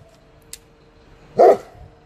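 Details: German Shepherd in training, barking on command given in two languages, 2018: a single short, loud bark after a faint click, otherwise quiet indoor background.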